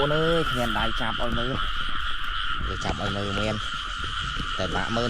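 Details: Rice-field frogs calling in the rain during frog catching; deep, nasal, harmonic croaks in quick groups of several, pausing briefly between bursts, over a continuous high-pitched insect drone.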